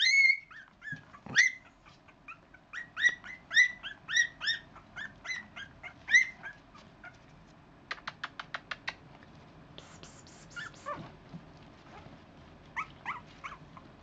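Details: Puppies about four weeks old from one litter, squealing in short high-pitched whimpers and yips, dense at first then thinning out, with a run of quick clicks or taps and faint scuffling in the background.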